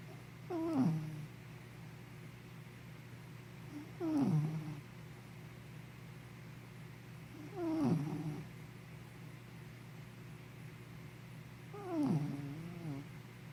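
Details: Henna, a sleepy puppy, snoring indoors: four tonal, wheezy snores, each sliding downward in pitch, come about every three and a half to four seconds. Quiet room hum fills the pauses between breaths.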